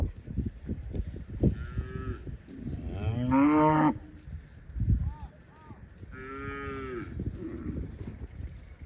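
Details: Cows walking with cowherds toward the farm through vast green rice fields, giving several drawn-out moos, one loud and rising, others shorter and nasal, amid rustling, footsteps and outdoor bustle.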